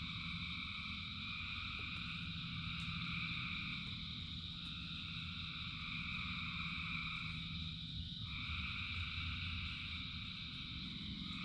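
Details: Frog chorus in rain, continuous layered high-pitched trilling, one voice dipping then rising near the end, over a steady low rumble and occasional sharp ticks.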